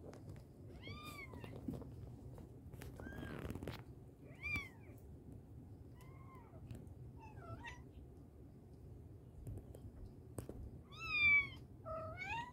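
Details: Mother cat calling her kittens: several short, high, arching meows spaced a second or two apart across the clip, with scattered clicks and taps over a low steady rumble.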